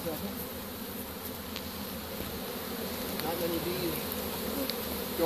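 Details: Honey bee swarm just captured with a pole bucket and placed into a hive, 25 March 2015; even, unbroken buzzing drone with faint higher flickers from individual bees.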